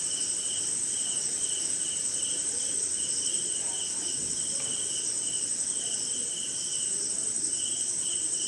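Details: Crickets calling on a rainy night somewhere in India, jungle and swamp setting: a steady, shrill high trill runs throughout with a lower band of rhythmic pulsed chirps, while other insects add faint scattered sounds underneath.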